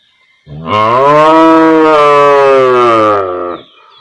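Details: Single cow in a village setting lets out one sustained, loud moo lasting about three seconds, starting with a rise, holding a steady tone, then fading, with only a faint bird note at the end.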